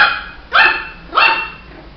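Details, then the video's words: Two high-pitched yapping barks from a Shih Tzu puppy, each bright and slightly rising, spaced under a second apart, with a faint earlier bark tail and little else audible. "Som de latidos de filhote de Shih tzu"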